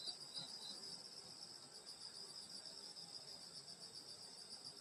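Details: Insects singing on a summer night in the countryside: a steady, dense high-pitched cricket trill running without pause, with several shimmering layers stacked one above another, and faint low rustling underneath.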